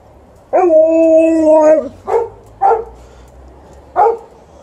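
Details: Alaskan Malamute kept with a Golden Retriever, barking and howling to be taken for a walk; one steady, level howl about a second long, then three short, sharp barks spaced about a second apart, indoors.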